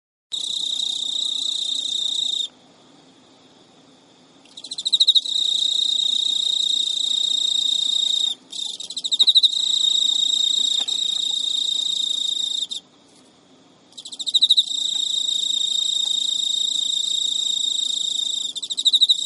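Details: Male Emma field cricket, a captive pet in Japan, courting an unreceptive female at midnight in early September; long continuous high trilled bursts of several seconds separated by short pauses, each burst starting with a few louder pulsing chirps.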